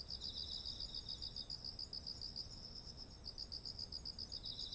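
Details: Rice fields full of ripe grain in autumn, with insects calling, recorded on a ZOOM H1essential: quick high trilled pulses repeated in runs, plus an unbroken shrill background drone of more insects.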